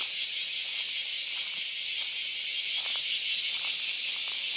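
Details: Many cicadas on the Philosophy Path in Kyoto, Japan, on an August Sunday morning, forming a dense, unbroken high hiss-like drone with a slight pulsing shimmer throughout.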